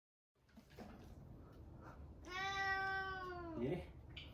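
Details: Indoor cat meowing to invite the father of the house for a walk, a daily habit. After faint soft sounds, a long drawn-out tonal meow holds steady, then drops at the end.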